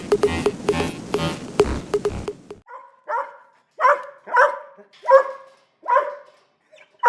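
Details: Small dog barking, described as an annoying noise that breaks the peace and quiet; a loud burst of other rhythmic sound fills the first two seconds, then sharp, high yapping barks follow one after another, roughly every second.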